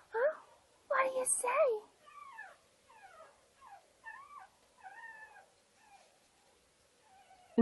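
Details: Pug puppies whimpering: a run of short, high, falling whiny notes repeated about every half second, after a louder burst of voices and squeals at the start.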